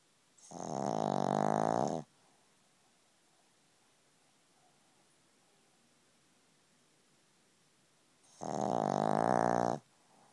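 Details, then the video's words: A pug called Spike snoring next to an ear: two rattling, vibrating snores of about one and a half seconds each, spaced roughly six seconds apart, with quiet breathing in between. "Pug snoring"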